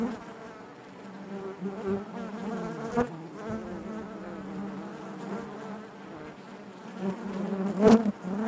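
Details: Inside a hive, honey bees keep up a constant low buzz with steady harmonics; a sharp tap near three seconds and a loud close buzzing burst near eight seconds break the drone.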